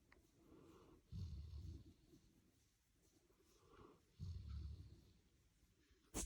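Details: Golden retriever asleep beside his human after a long day at the beach, giving two deep, rumbling snores about three seconds apart, with soft breathing between them and a brief sharp click at the very end.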